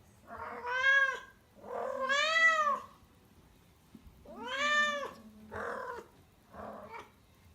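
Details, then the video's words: A rescued house cat in Tendo, Yamagata, Japan, calls loudly all day during her first heat. Long, arching, yowling meows swell and fade, followed by two shorter, rougher cries. "家ねこの発情期 初めての経験に家族全員戸惑いました。発情期の鳴き声にご注意ください"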